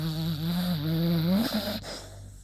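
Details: Yuta, a female beagle, tired and asleep after a walk, snoring: a steady, buzzy, droning snore that rises in pitch toward its end, then gives way to a softer breathy fade.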